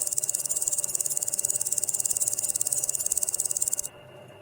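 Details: Grasshopper stridulating: a dense, high, hissing buzz made of rapid, even pulses that repeat steadily for almost four seconds and then stop abruptly, leaving faint background hiss.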